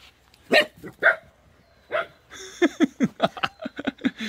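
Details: Rowoon, a pet dog scared of a tiger doll, barks twice loudly, pauses, then bursts into a rapid run of short, high yipping barks, roughly four per second, with laughter nearby.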